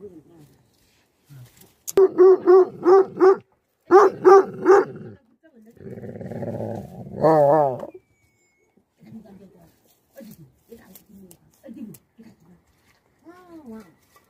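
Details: Livestock guardian dogs barking: a quick run of four loud, evenly spaced barks, a short pause, then three more. A low rumbling growl and a wavering, whining call follow, then softer scattered sounds.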